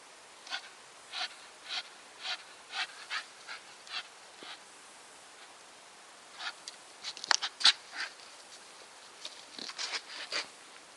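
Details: Nikita, a Staffordshire Bull Terrier, panting in steady breathy puffs about twice a second, each a soft broadband hiss; a short lull midway, then the panting resumes with a few sharper clicks mixed in.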